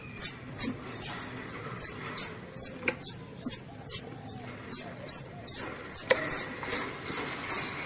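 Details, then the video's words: A squirrel calling its mother: high, thin squeaks, each dropping slightly in pitch, repeated steadily about two or three times per second, with a faint low background hum and an occasional click. "THE SOUND OF A SQUIRREL CALLING ITS MOTHER"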